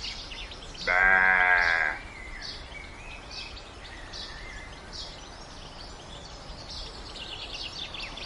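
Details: Domestic sheep giving a single drawn-out, wavering bleat of about one second, rich in harmonics. Faint chirping birds and steady outdoor background noise continue throughout.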